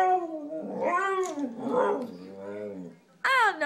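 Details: Young Siberian Husky 'talking' with its owner at home; a long string of wavering, rising and falling yodel-like moans and groans, ending with a sharp higher yelp, no voices over it.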